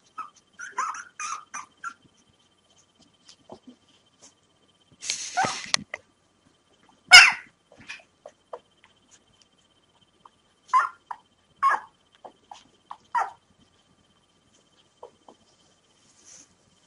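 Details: Five 3-day-old puppies, found abandoned in a bag and now waiting to be hand fed milk, make short high squeaky whimpers and yelps in scattered bursts, with a few louder broadband rustles and snuffling noises in a small quiet room.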